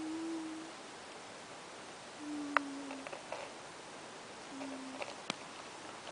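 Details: Sleeping pet cat Ash gives short, even whistling snores about every two seconds. Faint clicks and small knocks are heard between breaths in a quiet room.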